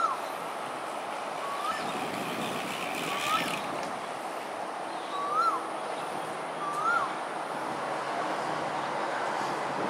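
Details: Lone otter at Pandan River, Singapore, on 28 December 2021 at 6:54 pm, giving four short rising-then-falling whistled chirps spaced about one and a half to two seconds apart over steady broadband background rumble.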